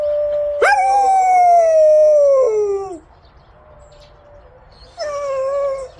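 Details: Howling from Samyong, a yellow Jindo: a long, clear, drawn-out tone sliding gently downward over more than two seconds. It breaks off, and after a quiet pause a second howl begins.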